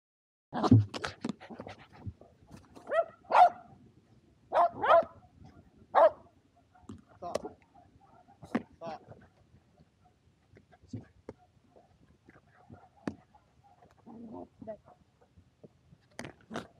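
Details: Shetland Sheepdogs Power and Beat at frisbee play, sunny 23 February 2022, Japan; irregular single barks every second or so, mixed with a person's voice and handling noises, thinning out toward the end.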